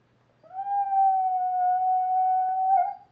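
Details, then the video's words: Rescue dog, a half dachshund and half pug cross, howling at a computer indoors: a single steady, sustained howl held on one even pitch for over two seconds, rising slightly at the start. "our dog Pepper howling at the computer"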